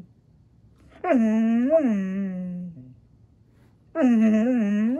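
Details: Talking Husky Maya answering Alexa in a house: two long, wavering yodel-like vocalizations, each over a second, bending up and down in pitch like speech, separated by a short pause.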